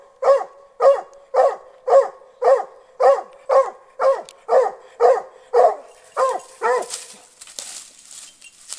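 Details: Lily, a hunting dog just over a year old, barks from a short distance at a wild boar caught in a snare during boar-hunting training; about twelve sharp, evenly spaced barks, then rustling and scuffling noise.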